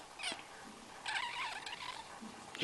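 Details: Newborn kitten crying while its mother is away; a thin, wavering cry about a second long in the middle, framed by short sharp bursts at the start and end, over faint background hiss.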